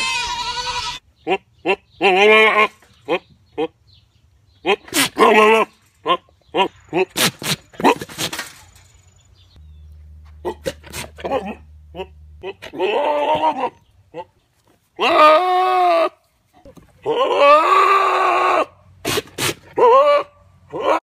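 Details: Baby goats screaming and bleating in an irregular run of short, quavering cries and longer drawn-out screams, broken by sharp clicks and brief silences between calls.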